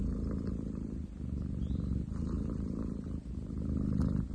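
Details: Ten chan, a long-legged munchkin boy cat, purring on 30/07/2023: an unbroken, heavy low buzz with one short dip near the middle, rough and loud throughout.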